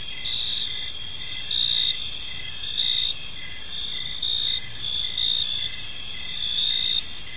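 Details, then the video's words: Crickets in a park at evening produce a constant high-pitched ringing backdrop, punctuated by louder chirp bursts recurring about 47 times a minute at a loose, uneven rhythm, over light low background noise. "Cricket Sounds in a Peaceful Park"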